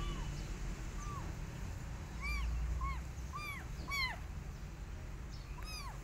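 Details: Rescued kittens, weaned by their mother cat in the street, give short arched meows, about ten over six seconds, some overlapping, above a steady low background rumble.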